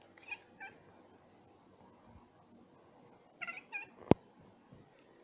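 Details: Domestic cats indoors chirping at a bird seen through their window, excited and provoked; a few short high chirps with harmonics near the start, then a quick cluster of chirps around three and a half seconds, low room noise beneath.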